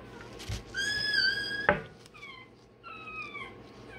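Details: Day-old Rottweiler puppy having its tail and dewclaws done, giving high, harmonic-rich squealing cries, one long level squeal followed by several shorter falling yelps in a small indoor room.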